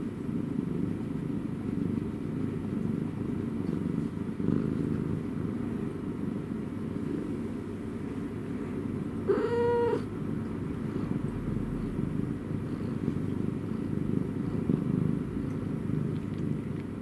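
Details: Long, even, low purring from a domestic cat, a continuous throbbing rumble interrupted midway by one brief, high, tonal chirp-like meow before the purr carries on.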